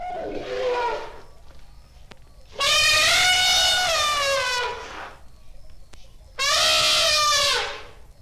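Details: Asian elephant (Elephas maximus) trumpeting: a short, lower harmonic blast, then a loud, bright, brassy trumpet lasting about two seconds and a third trumpet about a second long, with quiet gaps between them.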